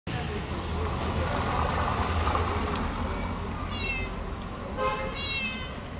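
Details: Stray cat living on the street calling with two high, slightly wavering meows in the second half, over steady street noise and a person talking.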